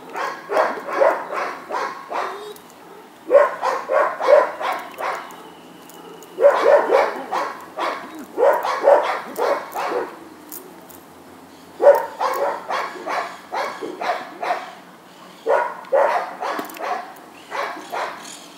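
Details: Atheo van de Verpihoeve, a dog in guard training with a helper, barks in bursts of rapid harsh barks separated by short pauses, each volley of four to six barks, with faint background noise.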